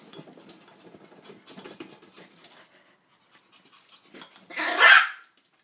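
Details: Zoie, a female Yorkshire Terrier, at play with her favourite toy, a ball three times her size: soft scuffling and patter for several seconds, a short pause, then one loud, sharp bark near the end.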